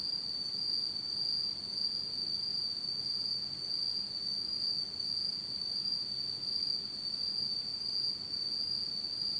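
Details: Autumn insects calling through a dark Japanese night, one continuous high-pitched shrill trill, very even in loudness, with a weak higher overtone and soft low background noise.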